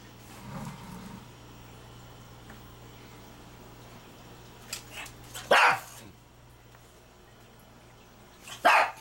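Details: A pug barks while meeting an American eel caught in the Schuylkill River. After quiet low murmuring, two sharp, loud barks come several seconds apart, each a short broadband burst.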